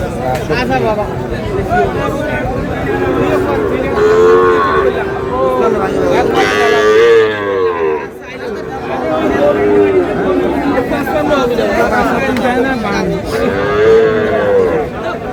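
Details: Sahiwal bull calves at a cattle market in Comilla, 27 March 2026: drawn-out mid-pitched moos at intervals, each a smooth arching tone, amid constant crowd chatter and bargaining voices.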